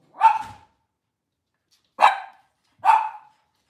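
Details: Cavalier King Charles Spaniel barking in a kitchen on a cloudy Monday morning, where moms and puppies are kept. There are three sharp, high single barks: one, a long pause, then two close together. The room is otherwise quiet.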